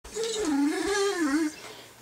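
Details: An 11-month-old male Great Dane puppy, watching home videos of himself on TV, gives a wavering, sing-song whine that dips and rises for just over a second.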